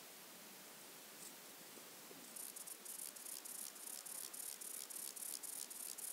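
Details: Wing-buzzing toothed grasshopper, Mala Ucka, Croatia, 26 July 2023: soft background hiss, then from about two seconds a series of quiet, very high, evenly spaced clicking pulses, roughly three or four per second.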